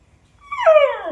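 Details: Lilly, a puppy being talked to and played with, lets out a short whimper that starts thin and high, then slides steadily downward in pitch into a softer, fading whine.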